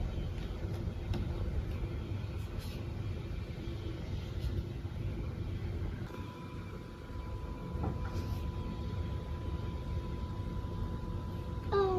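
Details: Indoors, a low vehicle-like rumble continues throughout with a faint steady tone and a few light clicks, and no animal voice.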